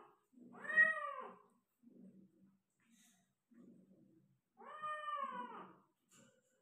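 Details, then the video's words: Persian cat giving birth to five kittens in Gujranwala, indoors; two long harmonic meows near one and five seconds, each swelling then falling, with soft low rustling and faint murmurs between them. "Persian Cat delivery میری بلی نے بچے دے دیے || Cat deliver 5 kitten"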